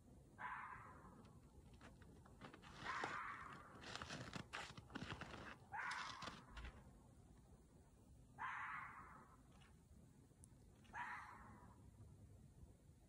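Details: A red fox (Vulpes vulpes) gives a mating call of hoarse, rasping barks, one roughly every two to three seconds.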